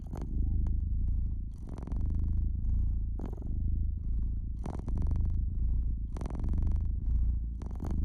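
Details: Purring domestic cat beside a fireplace indoors. A deep, continuous purr rises and falls roughly every one and a half seconds, with loud crackling from the burning fire breaking in repeatedly.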